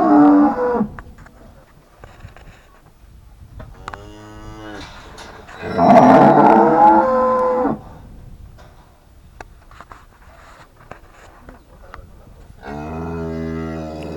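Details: Ranch cows lowing in a series of harmonic moos, a short one at the start, longer ones near four and six seconds with a loud, strained middle call, and a final low moo at the end, with quiet background between.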